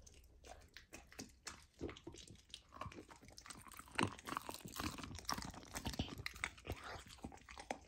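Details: A golden retriever puppy on a raw diet crunches raw lamb for the first time: loud, wet bites and gnawing that build to a strong crunch about halfway through, then continue busily.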